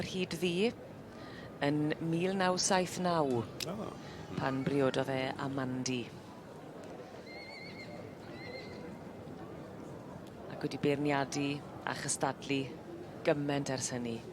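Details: Welsh Cob barren mare, aged four or over, at a show, neighing in several loud, shrill whinnies that quaver and fall in pitch, each lasting about a second, over steady background noise with hoof clip-clop and voices.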